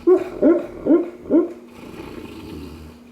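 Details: Sleeping Cane Corso dreaming and snoring: four short, muffled, yelping pulses about every half second, then a low, steady droning breath sound.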